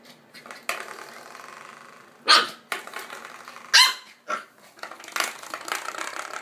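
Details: Corgi barking in a few sharp, separate barks with quiet gaps, against faint background noise.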